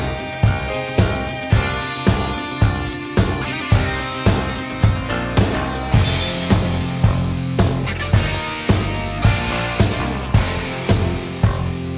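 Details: Driving rock music with guitar and a steady beat fills the whole stretch.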